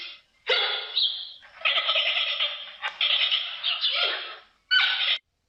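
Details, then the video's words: Giant panda giving a run of strained, squealing and bleating calls. The bursts run together in longer stretches and end with one short, separate cry. "Как звучит панда? What does a panda sound like?"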